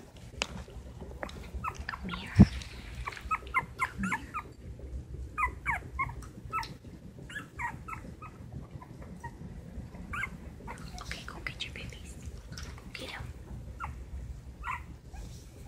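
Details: Two silky terrier puppies, 2 1/2 weeks (19 days) old, eyes recently opened, taking wobbly first steps; soft high whimpers and yips in short scattered bursts over low background rumble.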